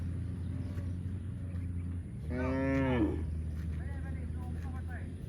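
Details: Cow giving a single loud, drawn-out moo lasting about one second, with a rich harmonic tone that dips slightly at the end, over a steady low engine-like hum.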